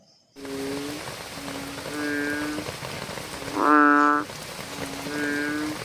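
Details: American bullfrogs croaking at night over a steady rain-like hiss: several soft, deep, tonal croaks and one louder, richer croak near the middle.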